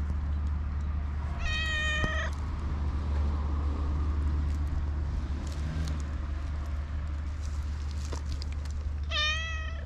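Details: Black stray cat meows twice, about eight seconds apart, each a short harmonic-rich call, over a constant low rumble with scattered clicks and rustles between calls.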